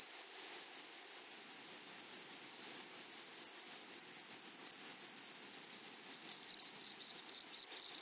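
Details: Grasshoppers in a flowery meadow or prairie give a steady, high, ringing buzz that holds unbroken throughout. Denser rattling pulses come in near the end, with no other sounds.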